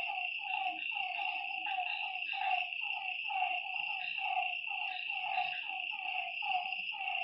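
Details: After dark by a lake, frogs croak in steady rapid bursts of short, falling notes, with a bright unbroken insect drone above them.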